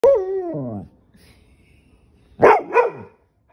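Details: Pit Bull angered by having its tail grabbed: a falling, harmonic whining growl under a second long, a short quiet pause, then two loud, short, harsh bursts in quick succession.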